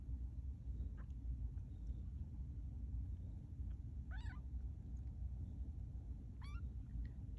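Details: Two-week-old kittens of Maude, learning to walk at Baystate Animal Cooperative; two thin, high mews sound apart near the end, each bending up then down, over a constant deep low rumble.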